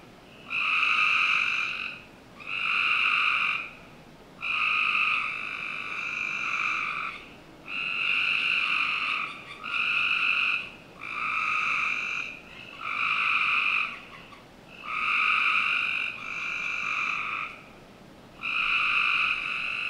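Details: Frogs calling on a summer night in the backyard of a Northern Virginia home: loud, steady trills, each about a second long, repeat roughly every two seconds with short gaps, over a faint hiss of background noise.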